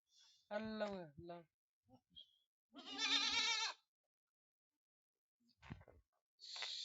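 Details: Goat kids at a farm in Aurangabad, Maharashtra, India, giving a short stacked bleat followed by a longer quavering bleat, with scattered clicks and a hissy noise burst at the end.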